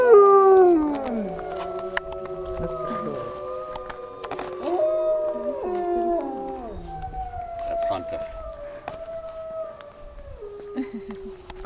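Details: A pack of wolves at a wolf centre in Idaho howls together in long, overlapping tones that slide and hold at different pitches, after a man starts the howling by howling to a white wolf.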